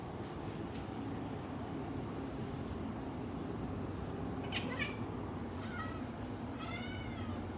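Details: A black cat watching birds gives short, faint, wavering chirp-like meows, a brief burst midway and a rising-falling call near the end, over a steady low rumbling background noise.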